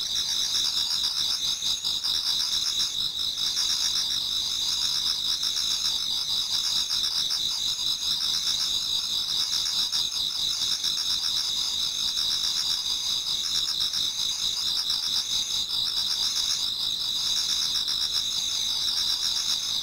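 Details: Pre-dawn autumn insect chorus from a Japanese garden: many high, shimmering trills blended into a steady ringing wall, with a lower chirp recurring about every one and a half seconds.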